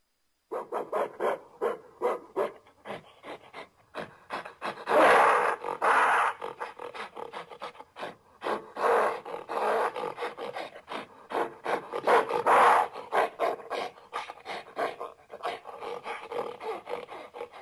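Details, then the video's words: Gorilla delivering a long series of rasping, breathy grunts punctuated by several louder, drawn-out roaring bursts. "Crazy Gorilla sounds"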